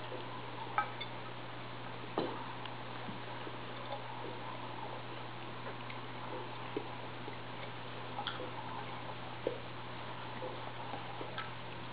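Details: Steady low hum with scattered light metallic clicks and taps, like a can being knocked about, and no animal sounds.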